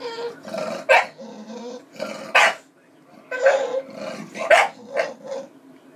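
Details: Hungry bulldog calling out for its food, giving clustered bark-like yelps and strained whines, roughly one burst a second, some sharp and bright, others rough and moaning, with a faint background hum.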